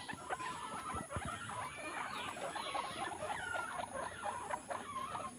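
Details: A baby guinea pig nursing from its mother makes short, mid-pitched squeaks and small rising chirps, mixed with sharp clicks, tapping and rustling against a steady high hiss.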